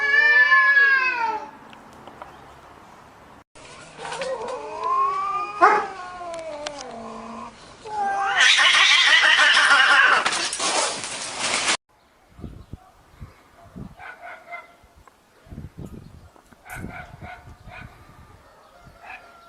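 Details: Domestic cats in a fight, trading loud, wavering yowls that rise and fall, with harsh screeches building to a noisy burst, then scuffling thumps and scattered clicks as the clash breaks up.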